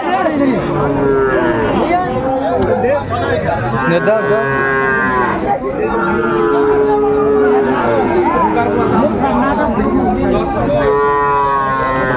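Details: Lowing from Sahiwal bull calves for sale at Ambari market in Dinajpur, 28 March 2025, as the market opens: long harmonic moos repeating every couple of seconds, steady buzz of human voices behind.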